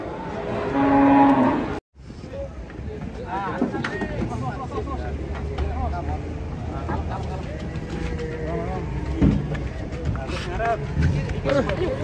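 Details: Rampaging cow coming off a truck, frightening visitors, lets out one loud low bellow at the start, followed by a brief cut and then fainter lowing beneath a crowd of voices calling out.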